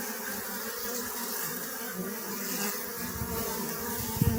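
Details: Honey bees buzzing in an even, rich drone of stacked low tones and airy hiss, with a brief sharp knock at the very end.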